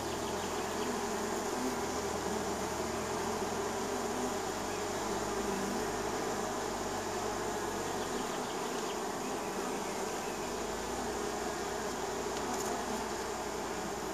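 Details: In spring, a neighbor's honey bees buzz around and land at their hive, making a continuous droning hum from many insects, with a low steady undertone that drops away partway through.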